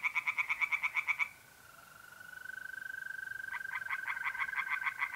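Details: Tree frogs sing by night in a pond in north-east Italy in mid-April: loud, rapid, pulsed croaks about eight per second. A mole cricket's steady, thin trill bridges the pause before the croaking starts again.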